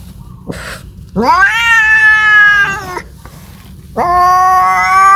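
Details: Domestic cat crying out for a mate, two loud sustained yowls, the first swelling upward and holding nearly two seconds, the second starting abruptly and continuing strongly to the end.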